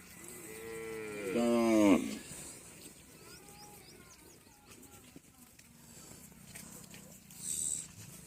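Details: Local deshi cattle at a riverbank char market on the Padma near the India–Bangladesh border: one loud moo with a harmonic-rich falling tail lasting under a second, followed by background chatter and low crowd noise.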